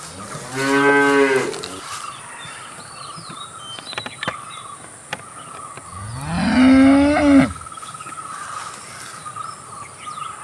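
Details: A cow gives two long, low moos, the second swelling upward, over a steady insect hum.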